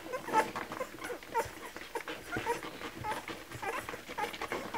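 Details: Kromfohrländer puppies at a milk feeding, giving short high squeaks and whimpers roughly once a second over a steady bed of wet smacking and suckling clicks.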